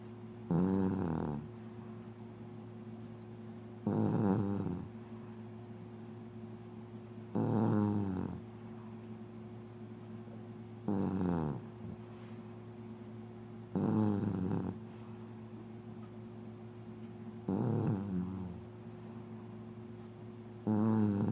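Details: Female mixed-breed dog, born December 25, 2004, snoring indoors: low rasping snores about every three and a half seconds, each a brief buzzy rattle, over a steady electrical hum.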